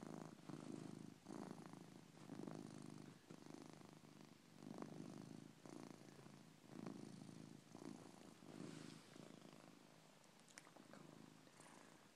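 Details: Sleeping pet cat named Coco snoring: a run of about a dozen husky, rumbling breaths, roughly one every second, evenly paced and low, in a quiet room.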